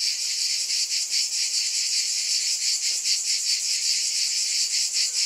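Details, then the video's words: Cicadas buzzing together in a loud, sizzling chorus, the hiss beating in uneven rapid surges, with a faint low tick briefly beneath it. "Scintillating Cicadas"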